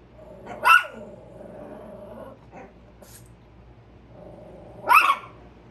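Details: Chihuahuas Carmen and Tia alerting to a squirrel: two loud, piercing single yaps about four seconds apart, with a fainter bark between them and a soft steady hum underneath.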